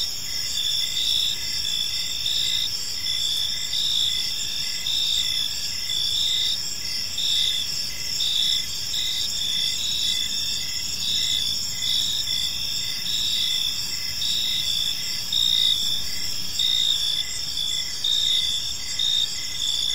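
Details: Park crickets at evening time keep up an unbroken, bright, ringing chorus, several overlapping chirping voices pulsing irregularly above a low steady hum of ambient noise.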